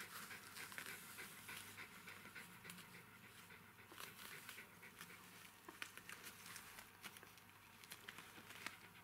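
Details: Panting from newborn Jack Russell Terrier puppies, three girls and one boy, heard as quiet, rapid, breathy puffs at roughly a hundred per minute, uneven in rhythm. Steady low hiss underneath, with occasional small clicks.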